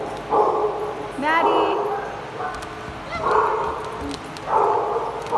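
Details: Dogs in a small play group: a run of short, harsh barks comes in bursts about every second, with one high, rising yip near the start. Human speech is heard alongside.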